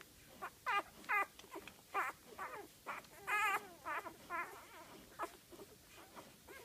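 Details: Golden retriever puppies, five days old, from a litter of eight, making high wavering squeaks and whines in rapid, overlapping bursts, several voices calling at once, some notes warbling up and down.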